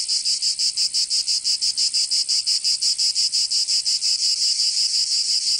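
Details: Cicadas in a southern French summer in Provence, a sharp sizzling trill pulsing regularly about three times per second, each beat clearly separated, loud and constant.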